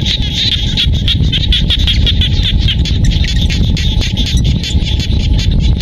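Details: In the paddy fields of Siem Reap, Cambodia, a mass of frogs produces an unbroken, shimmering high pulsed chorus. Heavy low-frequency background noise persists beneath it.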